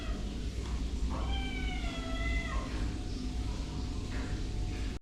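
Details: A cat meows in a drawn-out, wavering cry lasting about a second and a half, over a steady low rumble of background noise.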